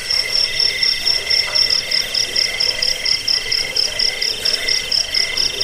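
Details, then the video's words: Cricket chirping meant to chase away rats, soothe sleep and train birds; piercing high pulsed trills in stacked bands, swelling and fading about twice a second amid other overlapping callers. "Suara jangkik pengusir tikus pengantar tidur"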